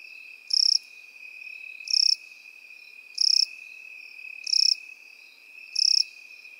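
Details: Crickets in field grass: five crisp, high, buzzy chirps spaced roughly 1.3 seconds apart, set against a constant thin insect drone.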